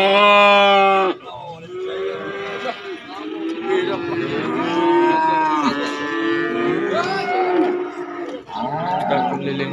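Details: Calves and young bull cattle at an Indonesian sales spot. A strong moo opens, then several overlapping lowing calls follow, some wavering and bending in pitch, with a final shorter moo; background chatter and music are faint.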